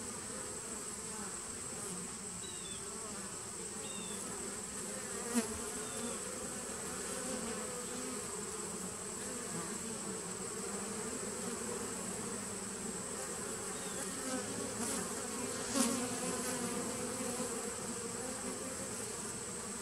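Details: Honey bees of a 2017 nucleus colony, recorded 19 September 2018: a steady, dense droning hum with bands of low buzzing, a thin constant high whine above, and two brief louder knocks near five and sixteen seconds.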